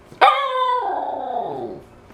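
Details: Eleven-week-old Siberian Husky puppy, taught to speak on command, gives a single drawn-out howl: a sharp onset, then a steady tone that slides downward and fades over about two seconds, with a woman's voice urging it to speak nearby.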